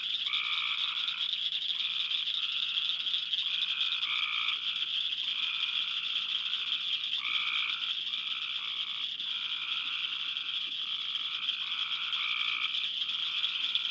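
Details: Summer chorus of Cope's gray tree frogs, heard from late June through mid July: fluttering trills come about once a second, each pairing a lower and a higher band, over continuous ball-bearing-like clacking from cricket frogs.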